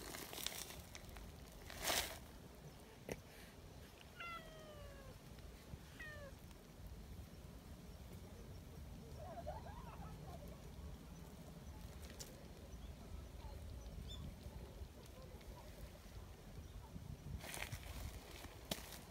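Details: Community cats gathering in the mountains in Japan: several short falling meows around four to six seconds, a faint call near ten seconds, sharp knocks and clatter, steady low background rumble.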